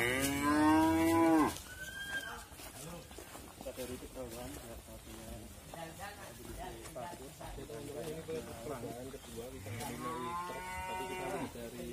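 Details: Sacrificial qurban bull Wisanggeni, owned by Irfan Hakim and agitated during loading for transport to Lumbir, bellows a loud, strained moo at the start and a second drawn-out moo near the end, with chattering voices in between.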